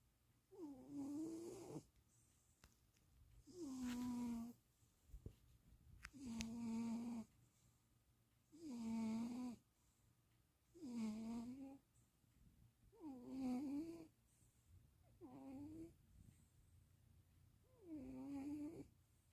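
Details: Stevie, a cat napping in Austin, Texas on 2026.04.07, gives eight steady snores about every two and a half seconds, each a short nasal drone with a slight pitch wobble, in a quiet room.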